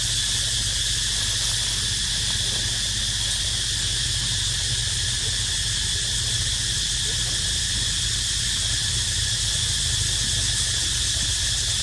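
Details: Cicada singing without pause: a dense, even, high-pitched electric buzz that holds steady for the whole stretch, with a faint low rumble underneath and no other clear voices.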